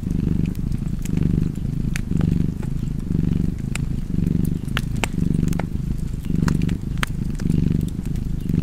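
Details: Cozy purring cat by a fire: a rich, low vibrating drone that pulses on every inhale and exhale, close to once per second, with frequent crisp crackles from burning logs.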